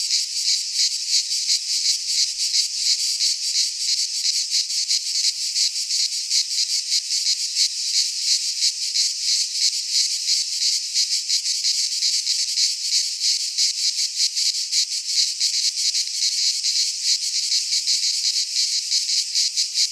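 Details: Many cicadas singing together in a Greek pine forest in midsummer, a relentless high, rasping buzz with fast flickering pulsation holding steady for the full stretch, no birds or people heard.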